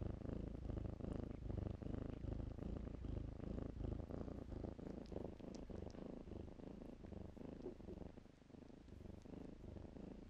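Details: Continuous low purring from kittens romping in blankets; the rumble pulses quickly and evenly for about ten seconds and fades slightly near the end.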